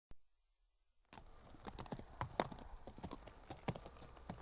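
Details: Horse walking on approach, its gentle hoof steps set against a natural backdrop: after a second of silence, irregular clip-clop hoof strikes sound, some louder and sharper, over a steady low background hiss.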